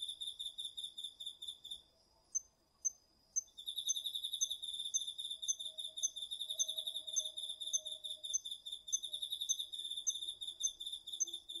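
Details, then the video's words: Autumn crickets and other insects singing at night in a home garden, recorded on a DR-40X; a high pulsed trill pauses, a few separate clear chirps sound, then dense rapid trilling returns alongside a softer lower insect tone. "秋の虫の声 ASMRでおやすみなさい 〜虫の音を枕元で聞いてね〜 こおろぎ他"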